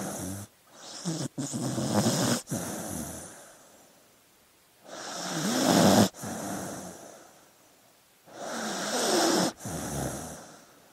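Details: Sleeping dog snoring: three long, rasping breaths roughly every four seconds, each swelling and then cut off sharply, with short snorts in between.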